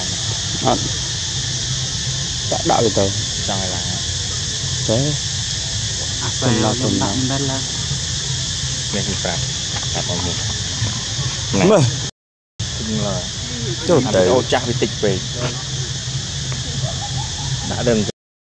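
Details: Monkey screaming and shouting loudly: repeated bursts of harsh, high, wavering shrieks and squeals, some quick and clipped, others drawn out, with a brief gap partway through, over a steady hiss and low rumble.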